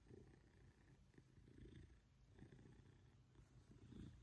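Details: Maine Coon cat, a male pet cat, purring loudly while being cuddled affectionately indoors by his family; a steady low rumbling purr pulsing through the whole stretch, with a faint household hum in the background.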